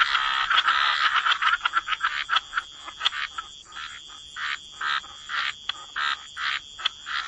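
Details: Chorus of frogs croaking by the waterside in a wetland. Short, rasping croaks come in quick bursts, dense and overlapping at first, then thinning into separate pulses about every half second.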